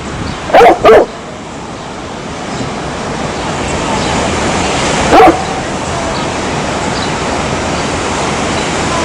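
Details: Two quick barks from a dog, then a single bark about four seconds later, with a long stretch of steady hissing background noise.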